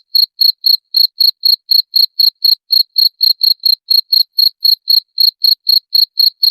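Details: A cricket chirping, offered as a rat repellent. Crisp, high-pitched pulses come in an even run of roughly four per second, with one slightly longer gap. Nothing else is audible.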